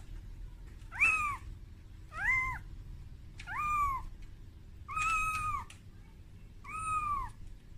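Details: Young kitten wailing for its mother, afraid on its first time outside its room; five strong meows at steady intervals, some flat and sustained, others arched, over a soft continuous hum.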